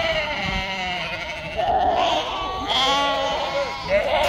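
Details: Domestic sheep, a ewe on a sheep farm in northern Spain, giving wavering, tremulous bleats that overlap and build toward the end, with a voice faintly heard beneath.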